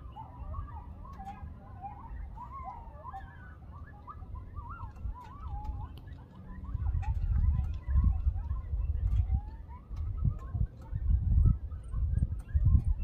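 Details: Coyotes in the Texas Hill Country stirring everyone up: a wavering chorus of high yips and quavering howls rises and falls in pitch, faint beneath strong low wind rumble that grows louder in gusts toward the end.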